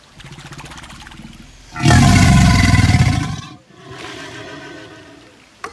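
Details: Crocodile growling: a low, pulsing rumble leads into a loud, rough, deep roar lasting almost two seconds. It then breaks off and settles into a softer, throbbing grumble, ending with a faint click.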